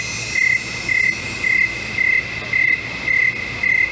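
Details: Crickets in a swamp: bright, high, evenly spaced chirps, seven in four seconds, each a short buzzy trill, over a steady high ringing drone from other insects.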